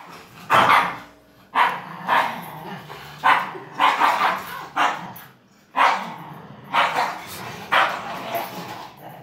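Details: Pet dogs, a 9-month-old German Shepherd and a 5-year-old Min Pin, playing tug of war; sharp broadband barks repeat about once a second in a steady series, with faint low growling between them.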